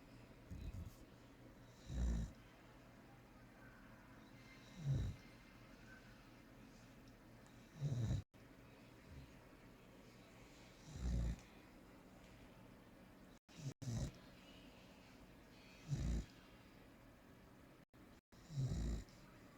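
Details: Dara, a female American Staffordshire Terrier (Amstaff), snoring heavily in her sleep: low rumbling snores recurring about every three seconds, each a short deep burst, with quiet gaps between them.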